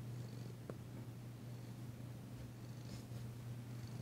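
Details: Danci, a tentative female cat, purring while enjoying a massage on February 9, 2022, her first purr since arriving; a low steady rumble runs throughout with one faint click.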